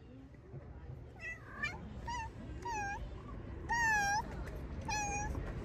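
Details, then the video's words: Hungry, talkative stray cat on the streets of Turkey, with other stray animals nearby: a run of about six clear meows, the strongest a long rising-falling wail near the end, over a low rumble of street noise. "Talkative stray cat and friends hungry"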